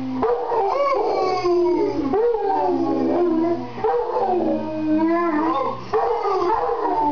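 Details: Joint howling by a mastiff and a seated man: short rising onsets swell into long, wavering, downward-sliding howls, renewed every couple of seconds.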